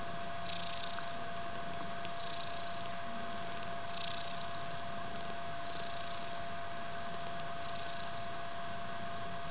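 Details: Indoors in a bedroom, a three-week-old white kitten snuggles its mother Ellis amid heavy purring: a low, even rumble running the whole time, light rustling bursts every couple of seconds, and a faint steady hum.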